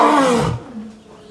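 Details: A lion at Southwick zoo gives a deep, loud roar that falls in pitch and fades within half a second.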